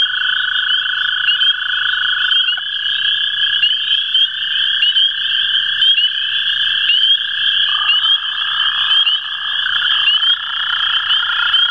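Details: Two American toads calling together at the CWRU Farm on April 21, 2016: overlapping steady trills at slightly different pitches that start and stop at different moments, set against an unbroken chorus of high chirps.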